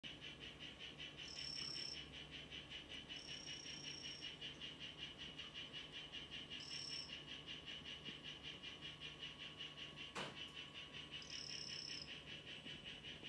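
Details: Mimic poison frog, Ranitomeya imitator 'Chazuta' morph, in a terrarium: four short, high, even buzzy trills of under a second each, spaced through the clip over a steady, fast-pulsing insect-like chirping background.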